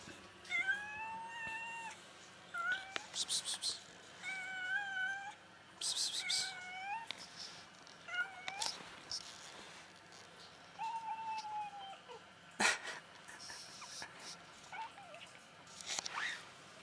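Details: An angry white cat protests at being touched with a run of harsh, wavering meows, some rising and some falling, broken by short noisy bursts and sharp clicks in a small indoor space.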